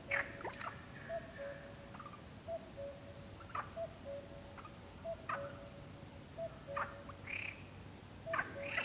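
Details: Perez's frogs (Pelophylax perezi) croak in short, rasping bursts at a steady pace around a pond at Goikomendi, Zamudio, on 7 May 2020, with a common cuckoo calling unseen nearby.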